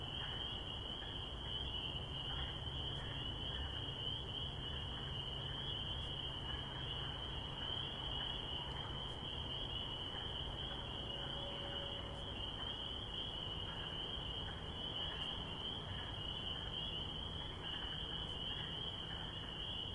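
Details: Spring peepers in spring form a thick, steady wall of high-pitched peeping, with occasional fainter chirps lower down and a deep constant hum of background noise.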